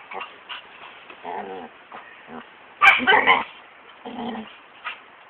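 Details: Two dogs, a golden and a foster dog, playing together in the morning as they do daily: short whiny grumbles and yips in bursts, with one louder harsh outburst near the middle and quieter growly notes between.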